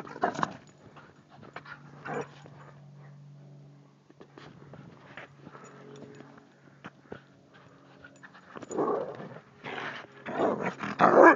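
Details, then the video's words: Lisa, a Carolina Dog and Thai Ridgeback mix, playing in snow in New Mexico at Christmas; soft, irregular breathy panting bursts with snuffling, louder rough huffs near the end, a low steady hum running underneath. "Lisa-dog (Carolina Dog-Ridgeback Mix) Loves the SNOW!"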